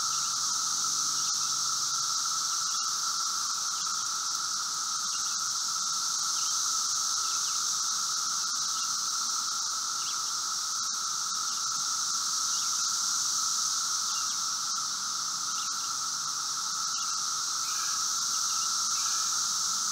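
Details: A dense chorus of Brood V 17-year Magicicada periodical cicadas outside a residence in Logan, Ohio, June 4, 2016, 3:10 p.m.: a steady droning hum of distant cicadas with a higher hissing shimmer above it.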